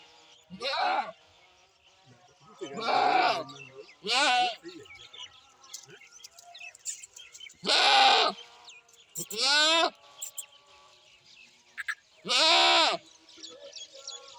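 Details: Goat (Capra hircus), bleat.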